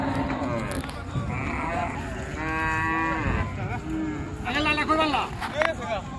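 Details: Cattle being unloaded from the river side at a busy village cattle market; a drawn-out, even-pitched moo with rich harmonics, then a second rougher, wavering bellow, over constant crowd murmur and market bustle.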